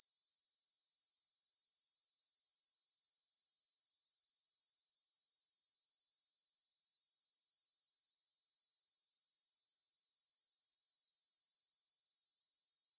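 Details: Continuous stridulation from many grasshoppers in a meadow near Bryansk's Svensky monastery, Russia, 9pm, 6 September 2020, stereo Tascam DR-44WL: shrill, hissy, fast-pulsing chirring that holds a constant level throughout.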